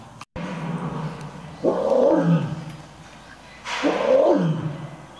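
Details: Roaring contest between lions Earth and Silk at Toyohashi Zoo's Nonhoi Park in Japan: two deep, rough roars about two seconds apart, each starting abruptly and fading into a lower growling tail.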